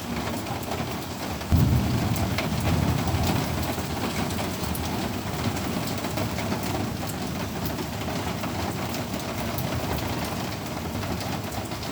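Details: Steady heavy rain falling in a garden on a rainy day, with dense patter throughout and a louder rumble starting early on; no animal voice is heard.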